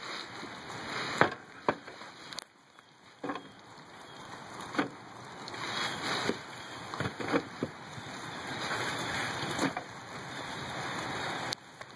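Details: Scattered clatter and knocking under a steady high electronic whine and a broad background hiss.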